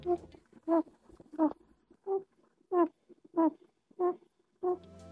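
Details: A domestic rabbit hums in short, voiced, nasal pulses about every two-thirds of a second; humming is typical of males during courtship, and sometimes signals contentment when relaxed.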